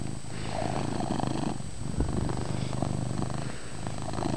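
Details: Loud purring from a pet cat named Chase, recorded indoors in a dim room; a steady low rumble pulses in a continuous rhythm of inhale and exhale cycles.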